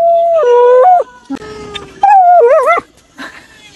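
A Samoyed howls in drawn-out, wavering tones that rise and dip, with a brief second voice.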